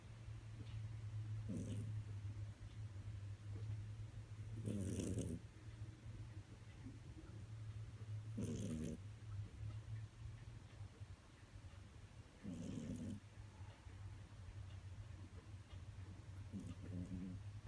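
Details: Pet cat snoring, louder than a person: a steady low drone broken by five rough, hissing breaths, each about a second long, spaced roughly every three to four seconds.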